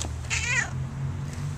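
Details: A domestic cat "sings" along as its owner sings "How much is that doggy in the window", giving a drawn-out, wavering meow that rises and falls in pitch over a low hum.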